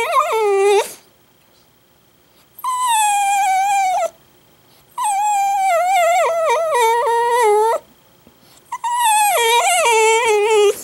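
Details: An Italian Greyhound suddenly bursts into crying, giving long, wavering, high howls that slide downward at the end of each bout.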